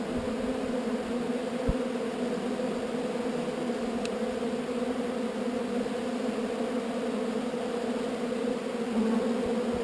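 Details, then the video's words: Relocated swarm of honey bees, a steady collective hum with layered low tones running throughout, one soft thump early on and a light tick near the middle. "Relocating Bees"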